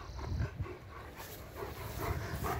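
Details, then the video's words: During play with a ring, a German Shepherd gives short, soft whimpering yips mixed with heavy breaths, irregular and low, over some outdoor background rumble. "German Shepherd-play with ring"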